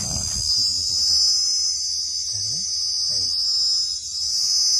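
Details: Piercing continuous cricket trill, high and even without a break, with voices speaking Bengali close by.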